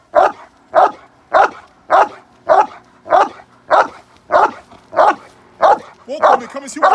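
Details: A male Cane Corso in k9 protection response training in London, UK, gives a run of loud, regular barks about every 0.6 seconds; a human voice joins near the end.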